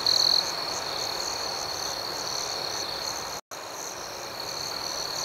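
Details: Crickets chirping at night: a steady high-pitched trill holds constant while a second, higher layer pulses in a quick rhythm, about four beats a second. A soft background hiss runs throughout, with one brief silent break midway.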